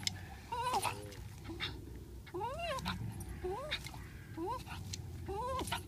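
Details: Parson Russell Terrier and Swiss mountain dog struggling over a ball: high rising-and-falling whines and yelps repeated about every second, over low rumbling growls.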